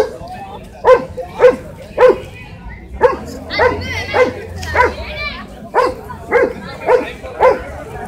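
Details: Shih Tzu, a small dog, in a funny home moment, giving short sharp yapping barks about twice a second, spaced fairly evenly, with a faint low hum underneath.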